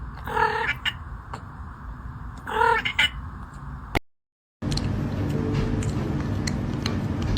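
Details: Kitten crying and meowing: two drawn-out, tonal meows, one near the start and another about two seconds later, over a steady low hum and background noise, then a brief silence followed by continuous noise.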